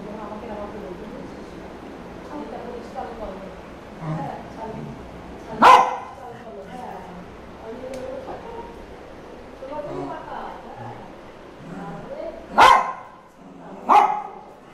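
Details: Male golden spitz dog nags his owners to give him his toy, a toothbrush. Three sharp, loud single barks ring out spaced several seconds apart, with people talking steadily in the background.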